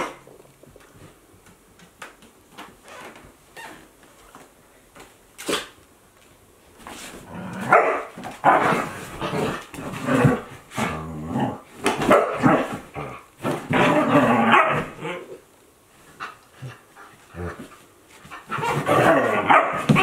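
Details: Akita Inu pair, one 14 months old and one a 2-month-old puppy, at play; scattered clicks and thumps early, then repeated bursts of growls, barks and yips from about eight seconds on.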